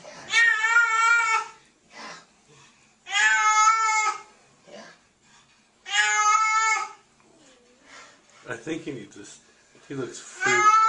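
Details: Scared cat being washed indoors gives loud, harmonic yowls, each about a second long and repeated every three seconds, while a person speaks quietly between the cries.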